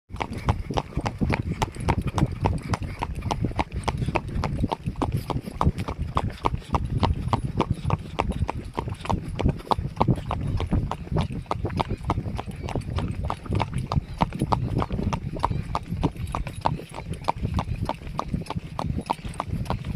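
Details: Horse (Equus caballus) hoofbeats while being ridden: a steady, rapid clip-clop, several sharp knocks each second.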